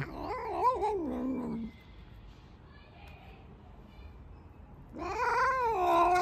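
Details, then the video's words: Black domestic cat, very loud, producing warbling drawn-out howls: one wavering cry falling away, a quiet stretch of room noise, then a rising strong yowl resuming. "The loudest black cat ever!"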